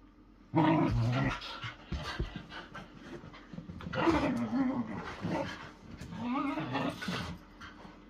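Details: Playful wrestling between whippets, heard as low growls and grumbles mixed with panting and scuffling, with louder rough bursts around the first, fourth and seventh seconds, likely indoors.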